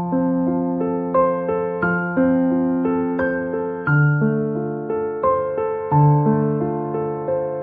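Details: Calm keyboard tune of sustained chords and a simple upper melody, with no animal sound.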